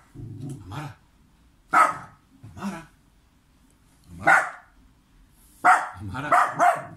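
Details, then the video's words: Indoor pet dog from Serbia barks as the owner ignores him on purpose; soft grumbling noises lead into loud, abrupt single barks spaced one to two seconds apart, ending in a quick double bark. "Adorable Dog Barking As Owner Pretends Not to See Him"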